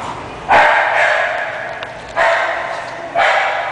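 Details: English bulldog barking: four loud, gruff, broadband barks, the first two about half a second apart and the next two more widely spaced, over a steady low background hum.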